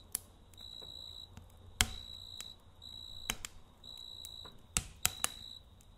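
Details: At night near a campfire, a cricket gives shrill, even trills in short bursts separated by brief pauses. Loud snapping crackles of burning wood punctuate the chirps.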